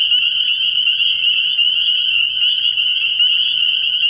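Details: Many spring peepers calling together at night from a frog pond early in the year, their sharp high-pitched peeps blending into a dense, pulsing, steady chorus.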